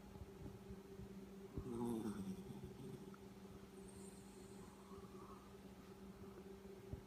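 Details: Sleeping Yorkshire Terrier named Chewie, recorded last year, gives a short rough snore that slides slightly downward with a buzzy, layered quality, then soft breathing returns against a steady low hum in the room.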